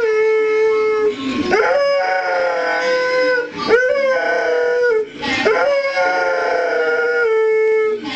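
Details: An Airedale Terrier howls along in tune to music, sustained mid-pitched wavering notes broken by short rising swoops about every two seconds, rich in overtones, with the music underneath.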